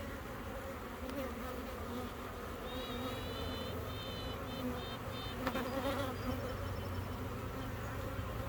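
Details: A newly laying honey bee queen in a swarm found in a bee yard pipes in short tonal toots over the steady drone of the buzzing colony.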